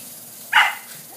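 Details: A single short, bright bark from Border Collie puppies playing in sprinklers, rising sharply and fading quickly against a low background hiss.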